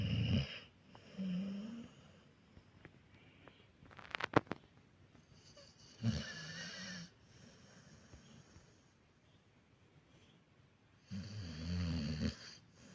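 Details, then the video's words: Sleeping American Staffordshire Terrier snoring indoors: three low, rumbling snores spaced several seconds apart, each with a breathy hiss above, separated by quiet pauses and a brief rustle midway. "Может ли храп быть уютным?"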